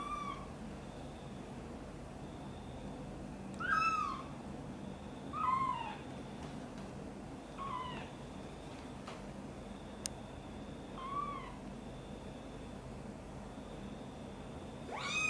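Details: Angry mother cat reacting while her kitten Guitar is lifted from a box and brought near her; five short, downward-curving meows spaced two to three seconds apart over a quiet room hum, with one sharp click.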